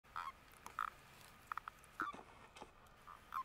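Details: Male common toads gathering around females in spring on Dutch heathland, calling during mating: short, mid-pitched croaking bursts, single or in quick pairs, spaced irregularly over quiet background hiss.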